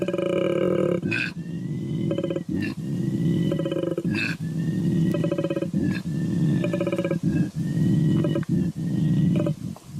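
A koala gives a deep, rasping bellow of snore-like inhalations and belching, grunting exhalations.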